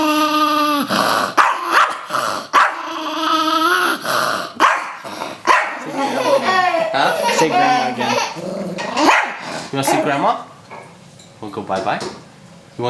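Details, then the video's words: Pet Chihuahua Rosco, resisting a shower, opens with a long tonal growl, then mixes snarling yaps with a woman's coaxing speech about going bye-bye and getting in the shower. "Evil Dog Chihuahua"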